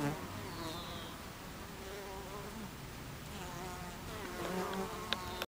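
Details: Honey bees buzzing at the hive entrance, summer afternoon 2013; a thick steady drone with passing wingbeat hums, a brief faint high chirp early on, and a sharp click just before the end.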